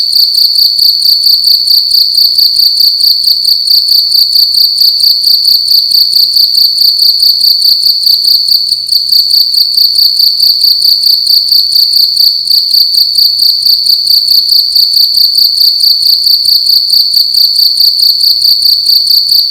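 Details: Indoors at night, one cricket keeps up a long, loud, high metallic trill, pulsing evenly about twice per second with scarcely a pause, nothing else audible.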